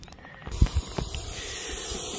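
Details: Russell's viper, called ghonas, coiled up after being irritated and hissing loudly like a pressure cooker whistle; after a few soft thumps a steady, airy hiss begins and continues unbroken to the end.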